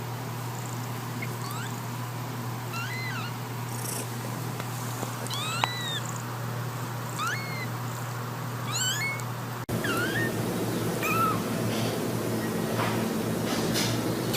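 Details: Cats and kittens meowing in a compilation: several short, high, arched mewing calls in the first nine seconds over a steady low hum, then a noisier stretch with fainter calls.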